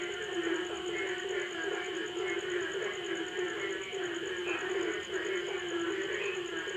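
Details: Dense chorus of frogs at night after a stormy day in Jaruban, East Java, Indonesia, 2010: many overlapping croaks and trills, with a steady high insect-like whine behind.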